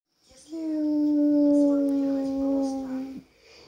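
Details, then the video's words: Alaskan Malamute singing, crying, complaining and talking: one long, steady howl holds level for almost three seconds with rich overtones, then breaks off sharply, followed by quiet. "Поющий маламут. Malamute sing a songs."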